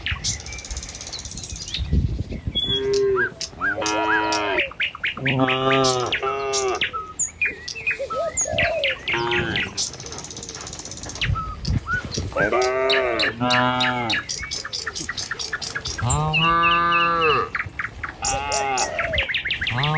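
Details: Tame cattle herded along a village road in the morning on their way to a field to feed; several long, arched, harmonic moos rise and fall among frequent high bird chirps and tweets, with some background voices.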